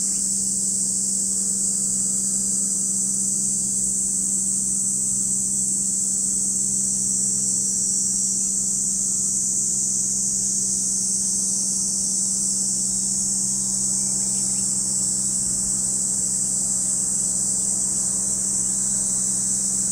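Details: Cicadas calling at Lake Kamo in Sado City, Niigata Prefecture, Japan: a dense, unbroken high-pitched shrill drone holding steady throughout, with a low steady hum underneath.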